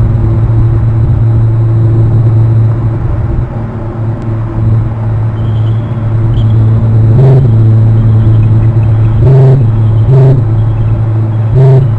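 A steady low engine-like rumble fills the recording, broken by a few dull knocks near the end, with no clear animal calls.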